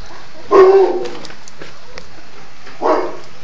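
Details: One-month-old cocker spaniel puppy recorded in June: two short, low yelping barks about two seconds apart, with a quiet room background.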